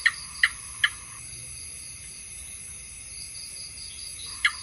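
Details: House gecko calling: three quick sharp chirping clicks, a long pause, then a single chirp starting another series, over a steady high-pitched background tone.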